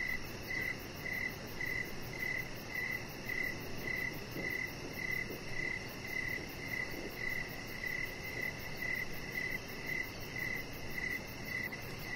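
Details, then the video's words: Evening cricket chorus beside a deck where a chihuahua puppy lies under decoration lights: regular bright chirps roughly every half second, evenly spaced, with a constant low background hum. "3 Hours Of Chihuahua Puppy Laying On Deck with Cricket Sounds"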